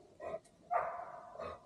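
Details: In the evening, a neighbour's female Golden Retriever barks in three short, distant bursts, the middle one ringing longest; she barks because she knows people are over nearby.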